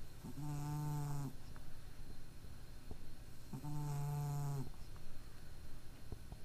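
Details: Domestic cat asleep despite a small nose problem; two drawn-out, reedy snores about three seconds apart, each a rich tonal buzz of about one second, with soft ticks in between.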